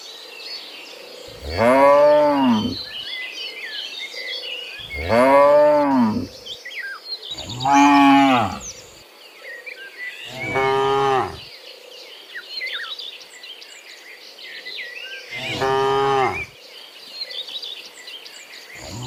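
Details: Five drawn-out, wavering moos spaced a few seconds apart from cows walking back from the field to the pen in the morning, with birds chirping and a faint insect hum throughout.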